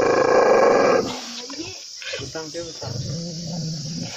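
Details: An angry dog gives a loud, harsh, sustained snarl lasting about a second, then lower rumbling growls alongside speaking voices.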